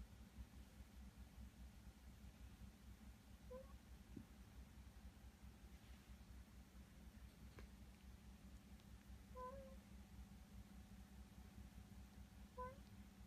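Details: Indoors, a resident rescue cat keeps watch over a rescued kitten; three brief, soft, high-pitched mews spaced several seconds apart, the later ones a little longer, against a constant low room hum.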